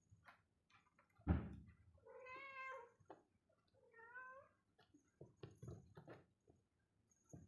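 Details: Mother cat and kitten at morning play; two clear, rich meows, the first longer and level, the second shorter and bending downward, among sharp knocks, thumps and light tapping sounds in a quiet room.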